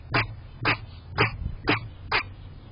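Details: A chatty backyard squirrel gives five short, harsh barks, spaced about half a second apart.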